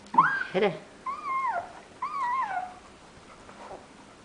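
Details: Labrador Retriever puppies, 17 days old, whimper indoors: a brief squeaky start, then three drawn-out whining cries that rise and fall in a wavering arc, and a faint closing whimper, with a soft human voice near the beginning.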